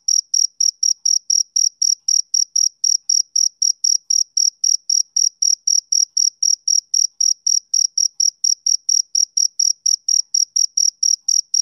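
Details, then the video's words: Summer-evening chirping of a male cricket, shrill and even, a continuous run of short pulses at roughly three per second, each with a soft upper overtone. Nothing else is heard. "Cricket Chirping Sound Effect"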